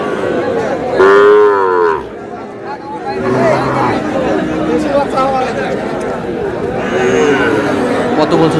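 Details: ['At a busy Madaripur cattle market in Bangladesh, a Sahiwal bull lets out a strong, rich moo near the start and a shorter, fainter one later, while people talk and bargain steadily around it.']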